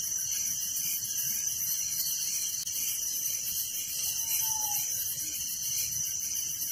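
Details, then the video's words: Night crickets in a village, their continuous high-pitched trilling forming a steady wall of sound, with one brief faint tonal whine near the middle. "Relaxing Night Crickets Sound in Village"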